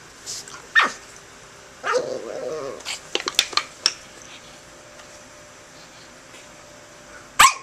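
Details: A pug attacking a can it dislikes, letting out a few sharp barks and a brief rough growl, separated by pauses and light knocking sounds.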